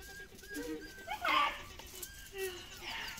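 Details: Mama Kira, a dog from a Shiba Inu and Samoyed breeder in the Netherlands, happy that her owner is home again: soft whining and yelping greeting calls, wavering and rising, in short bursts with a louder squeal midway.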